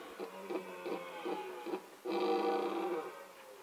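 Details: Rutting male red deer in the mating season, recorded with a Nikon D7100 and Nikkor 300mm lens: a series of short, grunting pulses about three per second, followed by a longer, stronger moaning roar.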